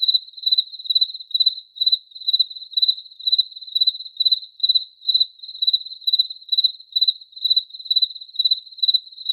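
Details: Cricket chirping in a steady, high-pitched trill, short pulsed chirps repeated roughly twice a second without pause, each chirp a quick cluster of pulses; no other sounds.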